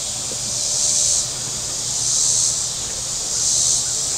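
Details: Cicadas on the shore of Table Rock Lake, southern Missouri, on a very warm Saturday. A high, hissing buzz swells and fades in three slow pulses about every 1.3 seconds over a steady shrill drone, with a faint low hum beneath.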